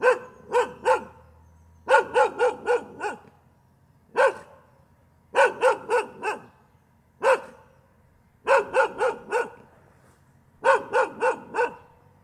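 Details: Continuous dog barking, sharp repeated barks grouped in clusters of one to five, broken by short silences, with a steady bouncy rhythm over about twelve seconds and little background noise.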